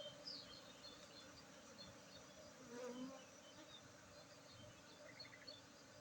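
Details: Honey bees buzzing at a honey harvest in Tingkem village, Bener Meriah, Aceh, on Saturday 19 August 2023: a steady low droning hum with a brief louder swell around the third second and faint scattered chirps above.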